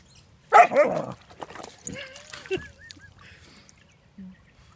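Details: An almost four-month-old male German Shepherd Dog puppy, meeting a pond for the first time, gives a loud, harsh bark, then softer gurgling, bubbly barks into the water.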